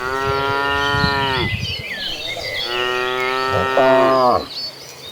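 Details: Domestic cattle from a herd of hundreds moving to the pasture give two long, drawn-out moos, the second sliding into a higher cry before falling away; insects and birds are faint behind them.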